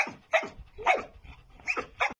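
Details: Dobermann barking, four or five short harsh barks in quick succession with falling whine-like tails between them.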